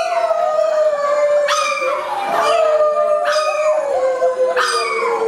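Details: Domestic chihuahua howling in its singing behaviour with its owner, a continuous drawn-out wail gently falling in pitch, with three sharper rising swells about every one and a half seconds.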